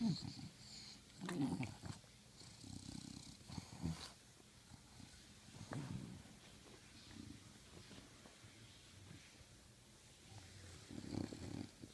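An English bulldog makes low, rumbling grunts and snuffling snorts in irregular bursts.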